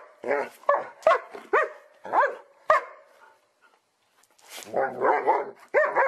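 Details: Playful happy dogs barking for fun, a rapid run of mid-pitched barks roughly twice a second, a short silence, then a burst of overlapping rougher barks and yaps.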